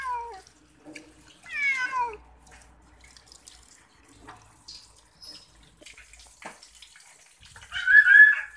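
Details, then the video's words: Cat in the bath letting out brief falling mews, one clearer descending meow early on and a harsher strained cry near the end, with tap water splashing throughout. "Kucing Suka Mandi"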